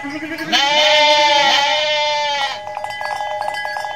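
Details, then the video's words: Mother goat in Indonesia giving one long, loud, wavering bleat rich in harmonics, lasting about two seconds, followed by a shorter nasal tail and faint background noise. "INDUK KAMBING LUCU BANGET BIKIN NGAKAK | SUARA KAMBING"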